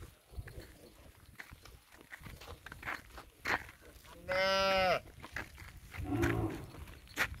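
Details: Miniature Punganuru cow at a goshala gives one short, fairly high, strongly harmonic moo midway, followed by a brief lower grunt, over background clatter and faint voices.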